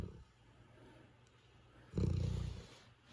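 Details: A tired Golden Retriever, worn out and asleep, snores with a deep, rumbling, pulsing breath that swells briefly and fades.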